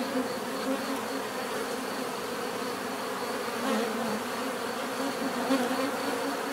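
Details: Bees droning together in a uniform buzzy hum, with a few short surges as single insects pass closer, otherwise unchanging throughout.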